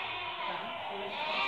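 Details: Merino sheep offered for import from Hungary, a flock heard as dense overlapping bleats, a steady harmonic-rich wall of sound with no clear gaps across this short stretch.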